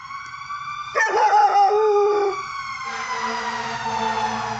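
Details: Belgian Malinois puppy, five and a half months old, howling at sirens from a backyard: a short wavering howl falling in pitch over a steady siren tone that continues after the dog stops.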